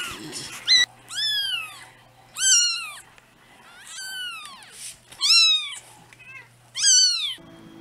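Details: Two-week-old kittens, sleepy and cuddling, calling with thin, high, downward-curving meows in quick succession, several overlapping, amid soft rustling and a low hum.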